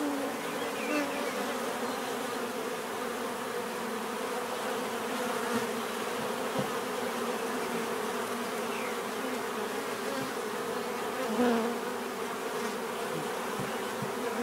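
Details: Bees drone in a constant, rich hum with stacked tones; occasional individual insects flick past with short rising or falling buzzes over the steady swarm.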